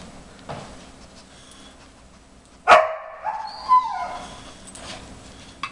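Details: A 4.5-month-old briard puppy whines in the background, wanting to help, while a 5-year-old German Shepherd does nosework, finding treats under tennis balls. One sharp, loud yelping whine slides downward, then shorter whines follow over a quiet, rustling room.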